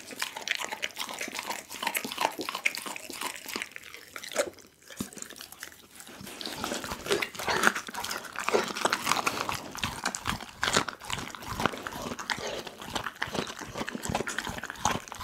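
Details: Doggy the pit bull gnawing a whole raw chicken indoors, recorded close on an Insta360 ONE R: continuous crisp crunching and snapping of bone, a short lull around the five-second mark, then steady chomping.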